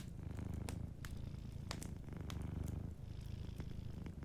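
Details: Soft, continuous low purring from a sleeping cat, pulsing in even breaths, with quiet crackles and ticks of a warm fireplace scattered over the rumble.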